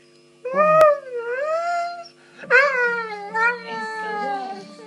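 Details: Female Saluki kept as a pet, indoors, vocalising as if complaining about her day; two bouts of wavering, tonal howling moans that rise and fall, the second longer and sliding downward, with a person talking to her.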